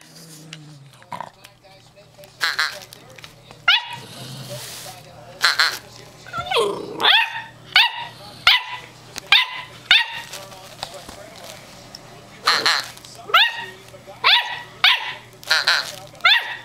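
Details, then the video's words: Stormy, an 8-week-old female German Shorthaired Pointer puppy, giving her first barks: a rapid run of short, high, sharp yaps, some in quick pairs, with people talking and reacting in between. "Stromy's First Bark"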